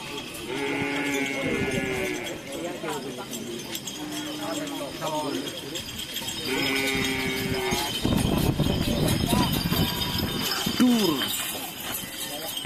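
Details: Cattle at bull-race (karapan sapi) practice in Asemanis, Pamekasan: two drawn-out moos several seconds apart, mixed with people talking, shouting and general crowd noise throughout.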